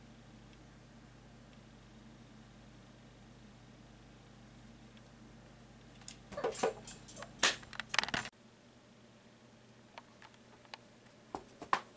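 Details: Quiet room hum, then a burst of rustling and clicking handling noise midway, no animal voice.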